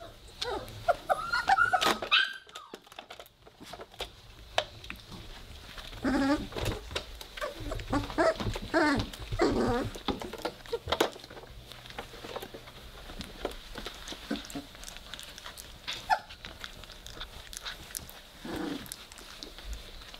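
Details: Three-week-old Weimaraner puppies playing together and starting to growl, indoors in a small room: bursts of small harmonic whimpers and rough grumbling yelps, densest mid-clip, amid constant scuffling and shuffling noises.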